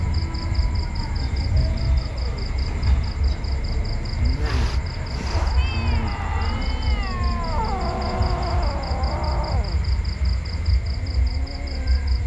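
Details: Kittens giving a short run of wavering, harmonic mews in the second half, with a few sharp clicks before them, over a steady pulsing electronic beep and a low constant hum.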